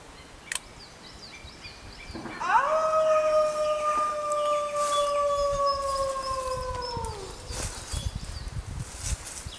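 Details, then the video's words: Single grey wolf howling in the wild, recorded at full moon in jungle: a long steady tone rising sharply then holding level for about five seconds before dropping, with faint background noise and a click. "Wolves Howling Sounds in Wild Life | Wolf Howling"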